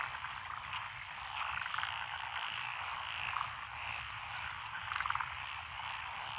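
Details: Lotus paddy fields beside a rural road in Echizen, Fukui Prefecture, 12 June 2021: tree frogs, pond frogs and wrinkled frogs calling together, a steady massed chorus with brief rapid rattling trills standing out near two, three and five seconds.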